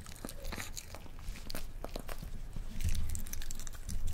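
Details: Boiled egg eaten for the first time by Rafa, a Miniature Pinscher, indoors: dense rapid bite clicks and moist crunches, steady and close, growing slightly louder toward the end over a deep hum.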